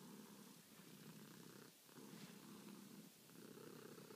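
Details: Domestic cat purring at night while asking to be petted, also kneading; steady low rumbling purr in long pulses, briefly dipping near the middle before resuming, quiet indoor setting.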